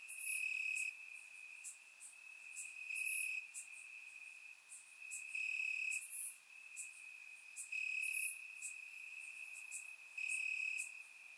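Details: On a warm summer night in Bulgaria, crickets chirp in the grass; a constant thin trill rises into stronger pulses every couple of seconds, with occasional bright high ticks from other insects.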